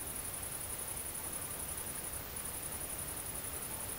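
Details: Great green bush-cricket (Tettigonia viridissima) during mating, recorded at night on 22 August 2016 in central France countryside: shrill, fast-pulsed buzzing with one short break near the middle before resuming, over steady hiss.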